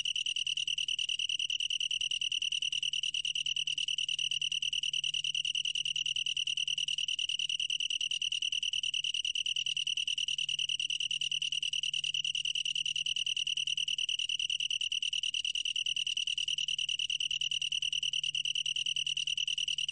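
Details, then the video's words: Long-tailed tree cricket, National Institute of Biological Resources, Korea, 2020: a bright, even, high trill that never breaks, its pulses blurring into a constant tone, with a faint low hum. "긴꼬리, 여러번 듣기, 곤충소리"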